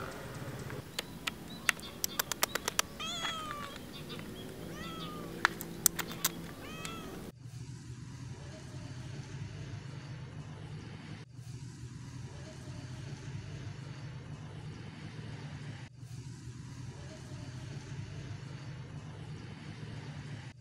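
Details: A hungry female tortoiseshell domestic cat gives a run of short, rising-and-falling meows, waiting to be fed.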